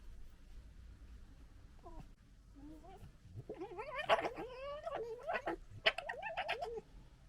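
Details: Red fox gekkering during fighting and general disagreement, recorded in 2021: wavering, yelping, cat-like cries that start sparse, then become a dense run of rising and falling squeals and chatters with sharp bursts.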